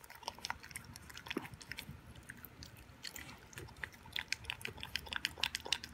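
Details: An 11-week-old Boston Terrier puppy named Toby works on his first raw beef dinner with veggie and yogurt. Crisp, bright biting clicks grow busier toward the end, scattered and uneven, in a quiet room.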